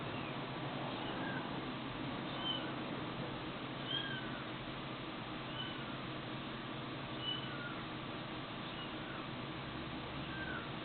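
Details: Cat meowing: short, thin arched meows repeat at uneven intervals, several in a row, above a constant loud hiss.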